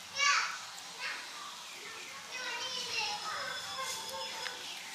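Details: Hungry kittens mewing to be fed, one loud high cry at the start followed by softer overlapping wavering mews from several young cats.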